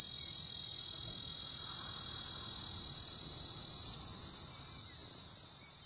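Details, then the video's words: Cacama valvata cicada on the Cimarron National Grasslands; a sustained shrill buzz that starts loud and gradually fades in volume toward the end, over soft low background noise. "Cacama valvata cicada, Cimarron National Grasslands"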